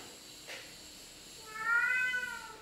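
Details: Male house cat answering its owner with a long, smooth meow that swells and then trails off, after a brief soft noise and a pause in a quiet room.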